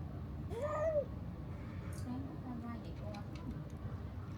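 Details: Pregnant domestic cats come asking for food, giving one clear, arched meow near the start, followed by softer, shorter mews, over a steady low outdoor rumble.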